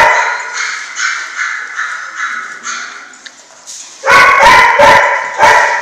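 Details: German Shorthaired Pointer puppies from a litter at six weeks old: a run of high whining yelps repeated about three times a second, then louder, harsher overlapping barks and yips near the end.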